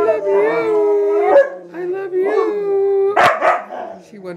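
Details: Huskies in a house full of huskies howling together, long sustained wavering tones that bend up and down in several overlapping voices, with a human voice talking over them and a brief noisy burst near the end.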